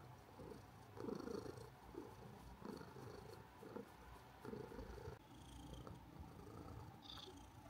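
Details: An orange cat purrs steadily, a low rumbling vibration that swells and fades with each breath.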